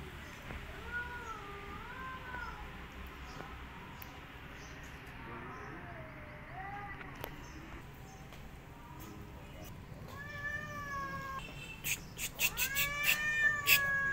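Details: Mother cat protecting her kittens from a white cat: a run of wavering, drawn-out meows rising and falling in pitch, growing louder and harsher toward the end into strained yowling cries, over a low background hum.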